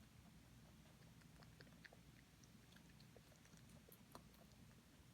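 A rabbit eating, its chewing heard as quick, soft crunches and clicks over a low indoor hum.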